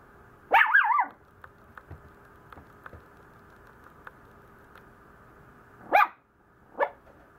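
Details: Maltese puppy complaining a lot: a wavering, whiny yelp-bark near the start, then two short sharp yips late on, over a faint steady hum with small clicks between.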